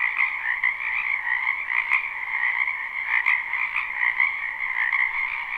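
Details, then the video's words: Spring wetland full of frogs, live recording: overlapping croaks merge into a continuous pulsing drone in two bands, with brief sharper clicks near two and three seconds standing out above the chorus. "Ambient Noise for Sleep Frogs"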